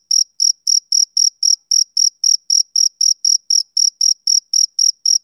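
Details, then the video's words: Steady shrill chirping from a male cricket on a summer evening, short bright pulses repeating almost four per second in an even rhythm against total quiet. "Cricket Chirping Sound Effect"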